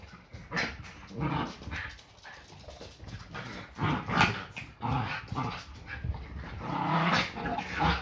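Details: Several Yorkshire Terriers play fighting at home, a daily routine before breakfast. Low growls and huffing bursts repeat unevenly every second or two, with small yips among them.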